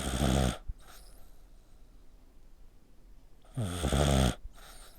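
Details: Sleeping pet dog with its neck pressed tight, snoring like a human; two heavy, rattling low snores about three seconds apart, each with a hissy breathy edge, quiet room in between.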